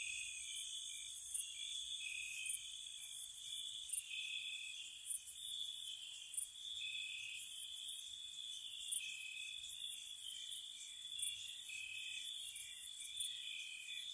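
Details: Spring night cricket chorus near a cottage: continuous high-pitched trilling from several insects, with bursts of sharper chirps recurring roughly every second or two over a calm, quiet background.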